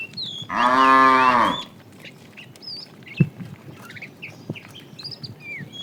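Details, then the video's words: One cow of a tame herd herded in the afternoon, a fat cow calling the female, gives a single sustained moo of about a second, arched in pitch, followed by quiet with scattered bird chirps and a few knocks. "The funny sound of a fat cow calling the female"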